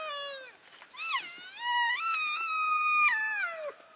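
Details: Elk calling to keep in touch with the herd during a move between grazing areas on February 3, 2012, a group of about 42 passing: a drawn-out, wavering, high whistled mew with rising and falling steps, closely preceded by shorter squeals.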